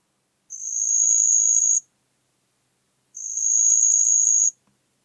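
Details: Two matching high trills, each about 1.3 seconds long and roughly 2.5 seconds apart, from a marsh cricket singing in Puntigam, Austria, on 4 June 2022. The background is silent.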